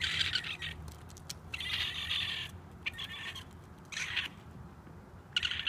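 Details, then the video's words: Young raccoon screaming for its mother from a rooftop, a series of harsh, raspy, high screeching bursts of varying length separated by short pauses, with steady low background hum. "Raccoon Baby Screaming for Mom on the Roof!"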